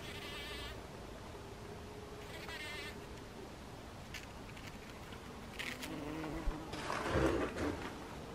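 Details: Steady, fairly low hum of a bee in a poppy lasting several seconds, mixed with short rustling, crackling bursts and a louder scraping noise near the end.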